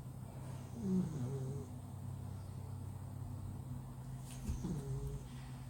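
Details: Sleeping flat-nosed male cat snoring loudly while deep asleep, two low rasping snore breaths about three and a half seconds apart over a steady low electrical hum.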